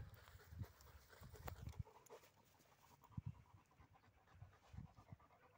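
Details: Dog panting during retrieve training with tug play after the return, quick low breaths in uneven bursts with short pauses between, a few sharp clicks and rustling of handling nearby.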